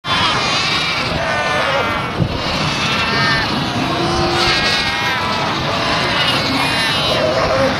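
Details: Cape fur seals (Arctocephalus pusillus) at a colony at Cape Cross, Namibia, in December, fill the air with a dense chorus of overlapping, sheep-like bleats and wavering cries.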